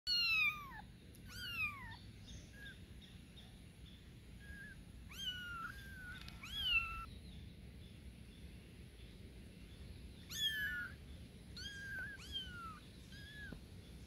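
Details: Newborn kittens meowing loudly for their mother cat, high thin mews with rising-then-falling harmonics, in scattered bursts with quiet gaps between them over a low background hiss.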